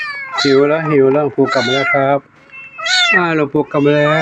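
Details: Temple cats of Wat Pong Chai in Chae Hom, Lampang, meowing from hunger when the monk comes back; two or three sharp, upward-curving meows stand out against a man's continuous low speech, with a short quiet gap midway.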